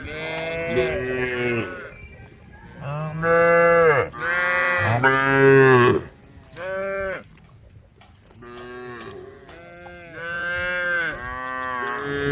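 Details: Tame female cows calling to their herd with a series of overlapping moos, deep and nasal, some short and others stretched over a second, loudest in the middle and trailing into softer lowing near the end.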